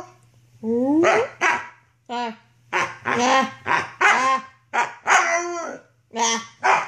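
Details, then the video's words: Young wolfdog Luna, a female puppy of six to seven months filmed in 2013 while roughhousing, lets out a run of short rough barks and yelping, growly bursts, about a dozen in quick succession with brief pauses between. "Wolfdog Howling & Roughhousing"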